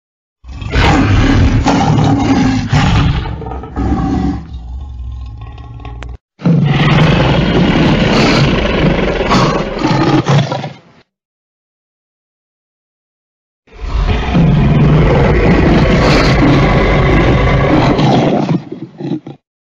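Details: Lion (Panthera leo), roar.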